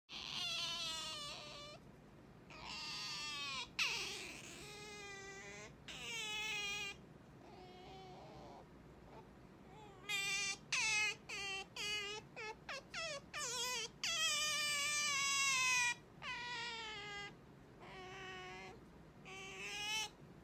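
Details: Pet otter Sakura calling to wake her owner in the morning: high, harmonic whining cries in short bursts, some falling in pitch, others rising, with quiet gaps between them in a small indoor room.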